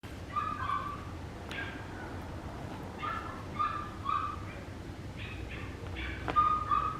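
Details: Papillon puppy giving a series of short, thin, high whining yelps with slight upward bends, in clusters of two or three across several seconds, over a faint steady background hiss.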